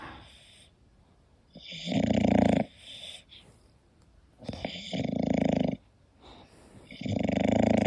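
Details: Koda, a sleeping English Bulldog, snores in loud, rasping bursts about every two and a half seconds. Each deep, rumbling breath fades into quiet pauses, with no other clear sounds.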